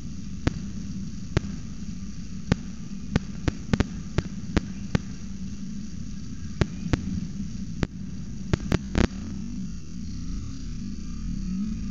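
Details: Only a steady low hum and scattered sharp clicks and crackles are heard, with no animal calls.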